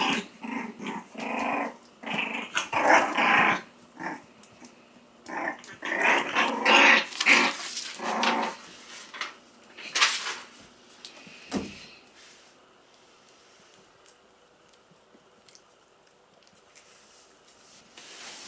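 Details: Four-week-old Pomsky puppies, 75% Pomeranian and 25% Siberian Husky, F1b litter, growling in a small room; rough, raspy growls in irregular bursts about twice a second, louder in the first half, then fading to near quiet.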